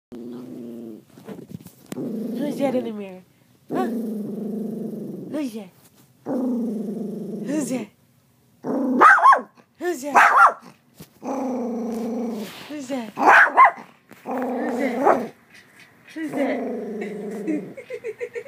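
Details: Female miniature poodle indoors sees her reflection in a mirror and answers with repeated grumbling, growly barks. Harmonic bursts of about one second come in a steady series, some rising into yelps, while a person talks to her in between.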